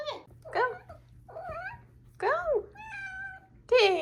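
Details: Female Maine Coon kitten, four months old, indoors, uttering a rapid run of about six arched, tonal chirps and meows, each rising then falling, one held flat and steady, with a faint low hum beneath.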